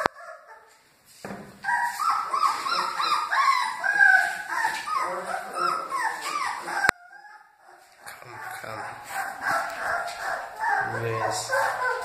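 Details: A litter of Great Dane puppies cries in a dense chorus of thin, wavering whimpers and squeals. It pauses briefly near the middle, then resumes with softer whines and faint background murmurs.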